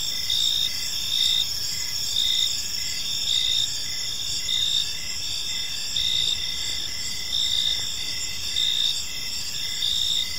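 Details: Park crickets at evening produce a bright, high trilling chorus with distinct pulsed chirps about once a second, fairly steady in rhythm, over a low background murmur.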